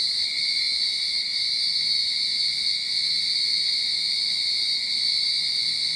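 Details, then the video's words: Early-summer cicadas in a Sydney backyard produce an intense, unwavering high buzz, a single continuous wall of shrill sound with faint rhythmic swells. "Cicada Sound"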